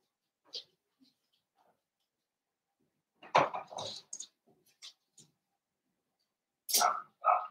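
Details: Young blenheim Cavalier King Charles Spaniel puppies from a New Year's litter of five, kept indoors in a puppy pen; sparse sharp yips and little barks, the loudest pair near the end, with soft scuffling between them.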